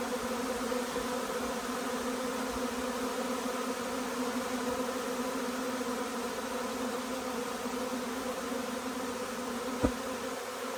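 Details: Honey bees arriving as a huge swarm, their massed wingbeats forming a constant layered hum; one loud click stands out near the end.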